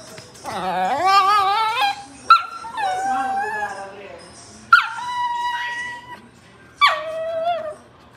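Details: A dog crying in drawn-out whimpers. Each starts with a sharp high onset and then slides down into a sustained whine, repeated about four times, with a man talking nearby.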